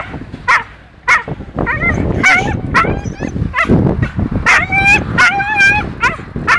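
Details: Frightened by the sea on its first time there, the dog Gümüş gives cries heard as "anne" (mum). Short yelps open the clip, then wavering whines and a run of long quavering wails, over splashing and men's voices.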